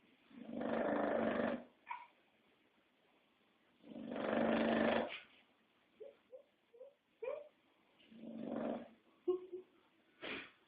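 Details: Pet English Bulldog snoring: deep, rough, breathy snores roughly one second long, repeated every three to four seconds, with small snuffles and clicks in the quiet gaps.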